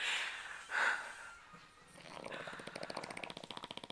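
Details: Dexter, a tired Bully dog, sleeping and snoring: after a brief human voice, a rapid fluttering, rattling vibration pulses steadily through the final two seconds.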